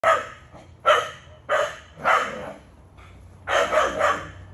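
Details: Male Keeshond in a backyard, a dog said to bark nonstop at times: five loud, harsh barks spaced irregularly across a few seconds, each a short broadband burst with quiet gaps between.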